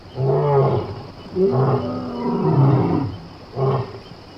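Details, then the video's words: Lion from Somali wildlife: a rhythmic string of low, grunting roars, about one a second, with a longer drawn-out call in the middle and a short final grunt. "Cod libaax ( lion sound)"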